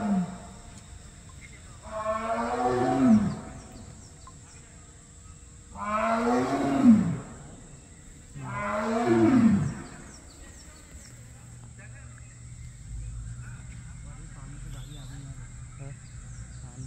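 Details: A massive male tiger in the woods calling for a mate: three deep, drawn-out roars about three seconds apart, each swelling and fading over roughly a second, followed by quieter low rumbling and faint background sounds.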